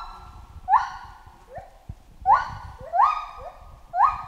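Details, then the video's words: Chimpanzee in a jungle giving hooting calls in pairs, a soft lower hoot followed by a louder rising hoot. Four loud upswept hoots come at irregular intervals over a steady background hum, with faint low thumps. "Monkey Ape Sound Effect Chimp Jungle"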